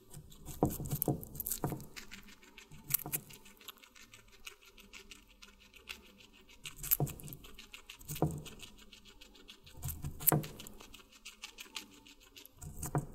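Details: Guinea pig feeding on watermelon: sharp, wet crunchy bites recur every one to two seconds in small clusters, loudest near ten seconds, over a faint steady background.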